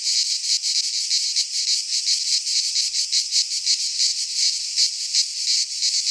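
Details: Greek pine forest cicadas in midsummer, their song a sharp electric-sounding buzz that throbs in fast, slightly uneven pulses, continuous throughout with only a faint low rumble beneath.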